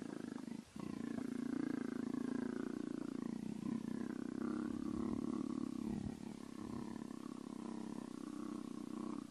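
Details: Leopard, a male, purring and making other sounds while being petted; a steady rough rumbling drone runs almost unbroken, pulsing rapidly, with a brief pause near the start.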